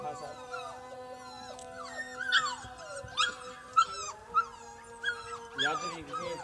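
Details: Young Siberian Husky puppies in Lahore, Pakistan, make short, high, sliding whimpers and yelps, rising then falling, scattered over steady background tones and some faint talking.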